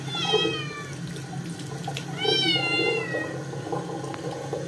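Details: Dirty Scottish kitten resisting its second bath; two long, loud meows with many harmonics, the second wavering and stretched over a second, above a constant hiss of running water.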